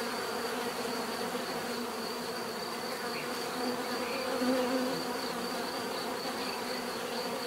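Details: Bees in a constant, layered hum of many wings, one closer buzz swelling briefly near the middle.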